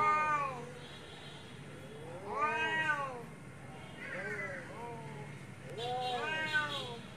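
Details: Domestic cats fighting, with real sound: long wavering yowls that rise and fall in pitch, four drawn-out howling calls with rich harmonics spread over about seven seconds, the quieter gaps filled by low background hum.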